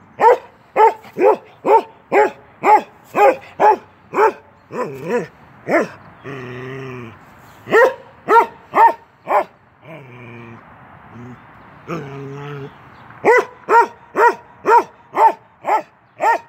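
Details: Norwegian Elkhound Keweenaw, a young male of 10 months, plays through a fence with long runs of rapid, evenly spaced barks, broken twice by drawn-out, wavering growls before the barking resumes at a brisk pace.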